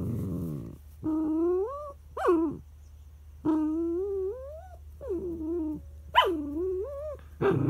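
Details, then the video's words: Pet dog Charlie cries in a tantrum while his son lies over the treat: a series of drawn-out, rising and wavering whines, some breaking into sharp yelps, repeated about every second over a low background hum. "Charlie the dog throwing a tantrum"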